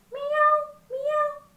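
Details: Cat sound played to a primary school class during a lesson on animals around us: two drawn-out harmonic meows, each under a second, steady in pitch, with a faint low hum underneath.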